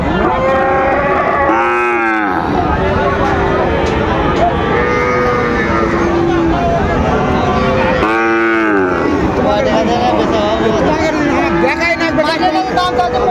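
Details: Sahiwal bull calves at the Raniganj cattle market in Dinajpur on 6 June 2024. Two long, harmonic moos rise and fall about six seconds apart, over constant market chatter, bargaining voices and crowd noise.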